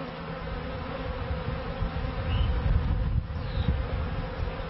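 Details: Honey bees at their first hives in a bee yard in 1994: a steady low droning hum with a faint constant tone underneath, rough rumbling in the lowest range, swelling slightly toward the middle.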